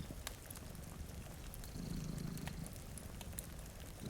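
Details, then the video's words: Sleeping house cat by a rainy window and fireplace. A short burst of low, vibrating purr swells in the middle, accompanied by crackling fire pops and faint rain. "Purring Cat"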